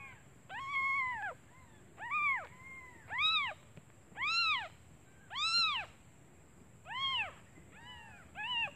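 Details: Newborn kittens calling for their mother out of hunger while she is away finding food; clear arched meows rise and fall, about eight in a row, roughly one per second, over a steady high electrical whine.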